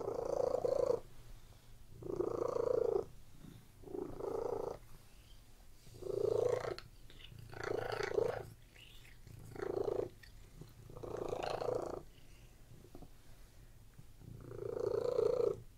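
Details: A continuous, low, buzzing purr from domestic cats lying on a bed rises and falls with each breath, around eight rumbling bursts with brief faint gaps and slightly rougher texture midway.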